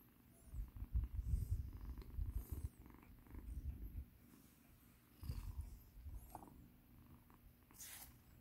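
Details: A rescued kitten, once in battered condition, purrs while being massaged indoors: deep, rumbling low purring in uneven surges, louder bursts separated by quieter stretches, with faint rustling of handling.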